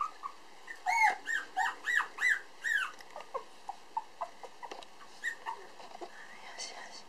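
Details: Black male Toy Poodle puppy named Pump, weighing 431 g and newly standing and walking, at a breeder in Otsu, Japan, on 8 December 2012: a quick run of arched, high squeals, then softer scattered squeaks.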